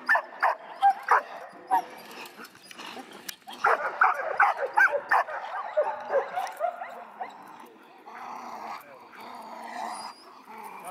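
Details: Echo, a seven-month-old male dog in bitework training, lets out a dense flurry of fast, overlapping barks, sharp and loud at first, then a softer, more muffled series toward the end.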